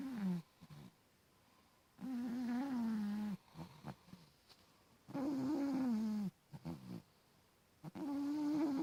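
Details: Sleeping pet cat snoring steadily, with deep buzzy inhalations lasting over a second, repeating roughly every three seconds, and brief soft nasal clicks in the pauses between breaths.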